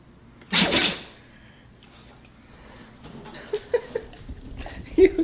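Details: Pet dog sneezing in a funny-pets compilation: one sharp, broadband, explosive burst of under half a second, followed by quiet room tone and faint clicks, then a person's soft voice near the end.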